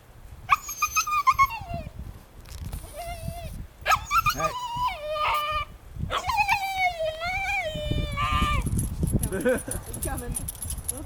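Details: Baby Siberian Husky howling with a person sitting beside it: thin, high, wavering howls in several short bursts, each sliding up then falling, broken by pauses, while a person talks softly in the background.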